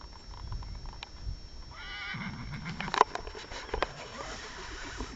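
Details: Wild horses in a forest on Mount Vulturino near Potenza, Italy: a shaky, wavering whinny rises and falls just after the middle, with rustling, faint knocks and a sharp click in the background.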